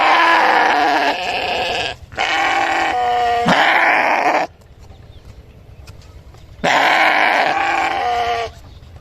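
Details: Loud, harsh sheep bleats in a run of two back-to-back cries lasting over four seconds, then a pause and another long trembling bleat.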